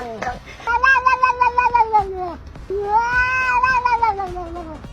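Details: A domestic cat gives two long, drawn-out meows, each wavering, harmonic and slightly arched in pitch, the first ending with a downward slide, while a person speaks nearby.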